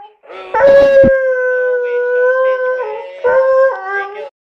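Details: Domestic hound singing along with an alarm clock's wake-up song: a drawn-out, steady, mid-pitched howl with a sharp start, sustained about two seconds, then dropping and wavering into a shorter second howl that rises slightly at the end.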